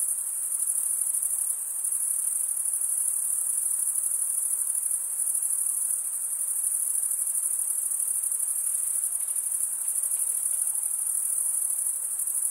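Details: Crickets, mostly males, chirping by rubbing one wing's toothed vein against the other: a dense, steady, very high-pitched shimmering trill that never pauses, with only slight swells in loudness and no other sounds.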